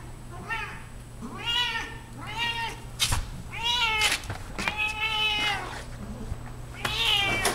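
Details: Loud female Siamese cat, aged 14, indoors while showing off her belly: a run of about six strong, nasal meows, each rising then falling, coming roughly every second, over a faint low hum.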